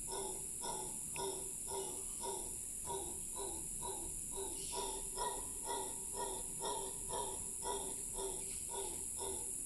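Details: A howler monkey in Cahuita Park, Costa Rica, gives a long, rough, pulsing howl, about two throaty bursts each second, over steady insect buzz.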